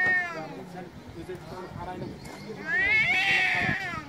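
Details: An angry cat gives a fading meow, pauses amid low background murmur, then lets out a strong, rising-falling wail that stays loud to the end.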